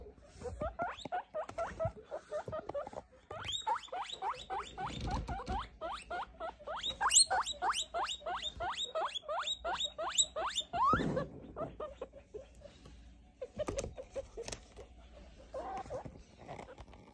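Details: Baby guinea pig, three weeks plus, during weighing and sexing: long rapid series of sharp short squeaks, some rising high, in uneven bursts with handling rustles between them.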